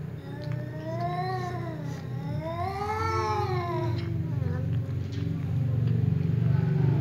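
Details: Angry tom cat yowling loudly while a ginger cat keeps meowing nearby; two long arched, wavering meows rising and falling in pitch, then quieter trailing cries, over a heavy low droning background.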